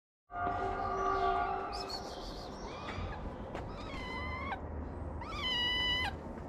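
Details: Homeless street kitten in Morocco, fed daily by its caretaker, climbing onto a lap. A steady tonal hum fills the opening second, then high rising-falling meows follow near three and five-and-a-half seconds.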